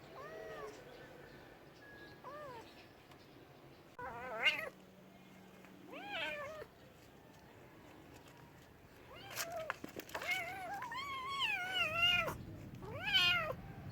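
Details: Meowing cats: a string of wavering, drawn-out meows, some short and some long, growing louder toward the end, with brief clicks and a low steady hum underneath.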